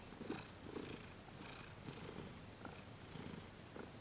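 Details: A cat, Thomas, purring as his legs and paws are massaged during a Reiki session; short rhythmic rumbling pulses about twice per second, soft and close, with light rustling above.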